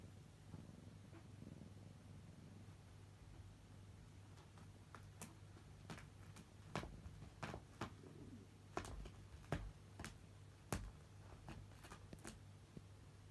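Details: Domestic cat purring indoors, from a home where a blue-gray cat and a brown tabby live with a man. A quiet, steady low rumble runs throughout, while sharp clicks and taps gather in the second half.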